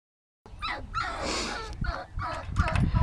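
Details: Five-week-old puppies, two of them awake, just let out to play: short, high whimpering yips that slide downward, coming in a burst at the start and again near the end, over low thumping and rustling.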